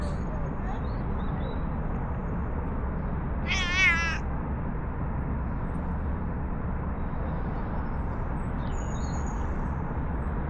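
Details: Affectionate stray park cat that followed to a bench after being petted gives a single wavering, drawn-out meow, with constant low background rumble and faint distant high chirps.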